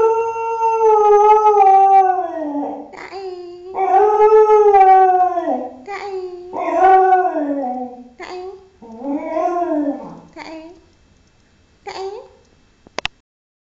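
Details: Six-year-old female Thai Bangkaew dog howling: about five long, wavering howls rich in overtones, each rising then sliding down, growing shorter toward the end, followed by a brief yelp and a sharp click.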